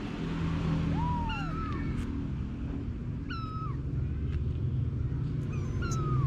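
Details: Anna, a mother cat, with her kittens; a rising-then-falling meow followed by several short flat high mews at intervals, over a constant low rumbling background.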